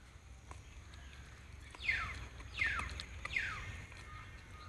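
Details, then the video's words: Puppy giving three short, high yelping barks, each sliding sharply downward in pitch, spaced roughly three-quarters of a second apart, over a steady low rumble of outdoor background noise. "Baby dog barking"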